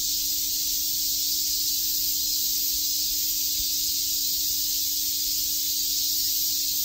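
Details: A summer day at Shakujii Park in Tokyo, where massed cicadas keep up a continuous, even, high-pitched hiss with no other clear sounds.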